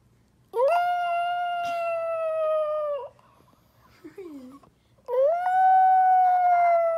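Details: A dog howling while missing its owners: two long, steady, sustained howls with rich harmonics, each holding a flat pitch for about two seconds, separated by a brief quiet gap with a soft falling whimper.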